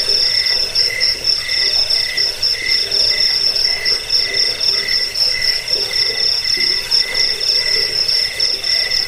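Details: Crickets in a recording meant to drive off rats, aid sleep and tutor songbirds: dense, steady chirping with bright high pulsed trills stacked over a lower pulsed band, many chirps overlapping in quick, slightly uneven rhythm.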